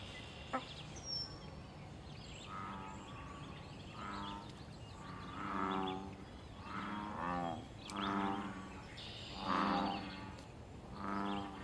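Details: Series of about eight low, resonant, throbbing croaks from a wild American bullfrog in a pond during mating, territorial and fighting behaviour, spaced roughly a second apart and growing louder, over a steady background hiss.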